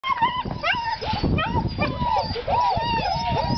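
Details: Black and sable old-type puppies whimpering and squealing together, a busy overlapping chorus of high, wavering whines that bend up and down, with a few short yelps and some low rumbling noise underneath.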